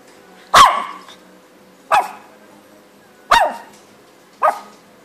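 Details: Little pet dog giving four sharp barks at uneven intervals of roughly one to one and a half seconds, each bark punchy and brief, over a faint steady hum.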